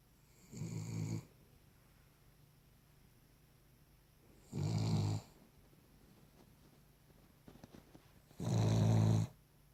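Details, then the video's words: A Cavalier King Charles Spaniel snoring in its sleep: three rough, throaty snores, each about half a second long, with about three seconds of quiet between them, in a quiet indoor room. "Cavalier King Charles Spaniel snoring"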